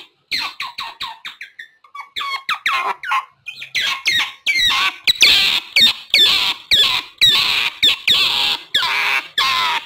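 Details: Calls of an otter, used to lure wild otters: a run of short, rasping squeaks that thins into a brief lull, then returns as louder, longer, hoarse squeals packed closely together.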